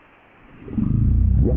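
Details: Blue whale; deep call; communicating with distant members of its species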